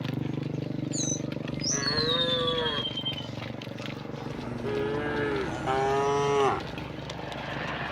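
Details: Dozens of tame cows walking along a rocky village road toward green rice fields, rural setting; two drawn-out, wavering moos rise and fall over steady low background rumble, with a high falling whistle laid across the first.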